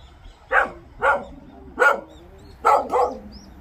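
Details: Pungsan dog on a hunt giving five sharp, loud barks: four evenly spaced about half a second to a second apart, the last two close together, over quiet low background rumble.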